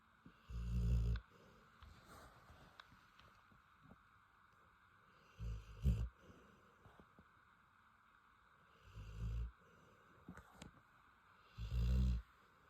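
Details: Female Rottweiler snoring while asleep: four deep, rough low snores, each lasting about half a second to a second, spaced roughly every three to four seconds, with quiet room sound in between.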